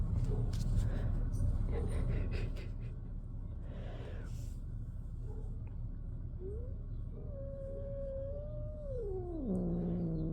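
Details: Male shelter kitten, born June 2023 and fostered indoors, confronting another cat; after background rustling and a woman's voice, a drawn-out yowl holds level, then bends sharply downward into a low, moaning end.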